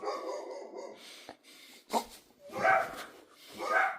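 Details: Dog barking: a low rumbling stretch, then three sharp broadband barks about one second apart, the last two loudest.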